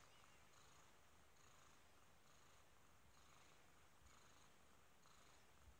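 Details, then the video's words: A kitten purring softly, a faint steady rumble that swells and fades in a regular cycle roughly once a second, likely with each breath, beneath a constant background hiss. "kitten purrs"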